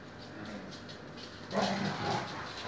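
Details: Siberian Husky mother playing with her puppies indoors; a brief, low, tonal whine-like vocalization swells up after a quiet start, then a second fainter note follows half a second later.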